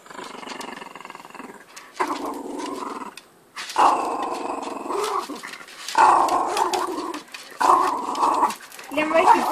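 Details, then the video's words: Yugi, a small puppy dog thought to be a Jack Russell, Pekingese, Pomeranian and Shiba Inu cross, growls angrily while guarding his toy; long rumbling growls in bursts of about two seconds, broken by short pauses, with a person talking teasingly. "Funny Dog Yugi Gets Mad & Plays"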